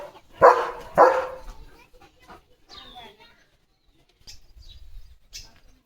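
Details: Two strong, abrupt barks about half a second apart come from Leo, a pet German Shepherd, on an evening farm-field walk during balloon play, then voices chatter in Marathi with brief high chirps in the background.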